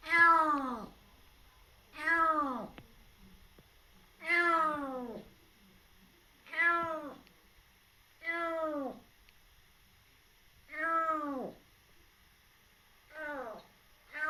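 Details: A kitten a little over three months old, rescued and now fostered, cautious and on guard, repeats short downward-curving meows about every two seconds, eight in all, in a quiet indoor space.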